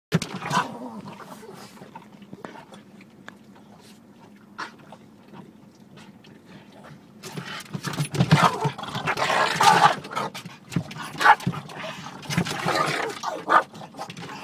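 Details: Two Boston Terriers bark and growl in rough, excited bursts while attacking a car's rear window wiper, over a steady low hum.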